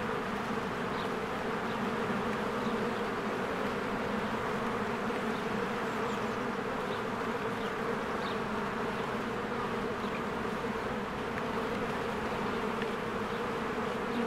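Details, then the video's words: Bees swarming in and out of their hive in spring amid blooming flowers, filmed on a Canon camera: a dense, steady buzzing drone with low humming bands, and faint high bird chirps scattered throughout. "1 Hour of a Beehive ASMR"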